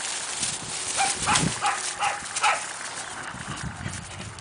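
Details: Cassia and Disco, two 4-month-old Siberian Husky puppies playing at a kennel, give short high yelps and whiny yips in a quick burst of four or five, then fall quieter amid rustling play noise.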